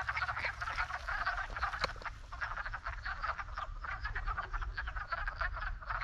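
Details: In spring, a dense chorus of wood frogs mating in a pond, the first species to arrive each spring, gives rapid, duck-like clucking croaks that overlap in a steady chuckling din.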